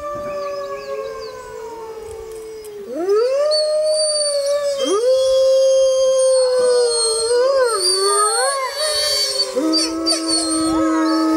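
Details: A chorus of wild grey wolves howls in a jungle on a full-moon night. Several overlapping voices hold long, wavering tones that slide up and down, some swooping upward and others falling, and they blend into a dense, rich group howl.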